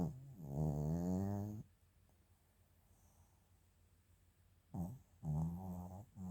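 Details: Sleeping Maltese-Shih Tzu mix named Chiroru, 8 February 2025, indoors: a long buzzing, low snore opens, a quiet pause follows, then two shorter rasping snores near the end.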